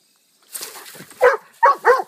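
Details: Pet dog barking loudly at close range: a soft scuffle and low grumbling lead into three sharp, mid-pitched barks, the last two in quick succession.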